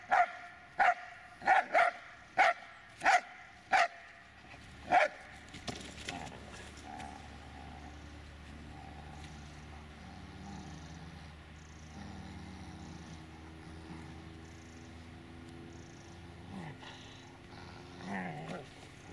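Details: Dobermann Magmar Von Der Burgstätte barking: seven loud, sharp barks in quick succession over the first five seconds, followed by a long stretch of quiet low background noise with faint rustling.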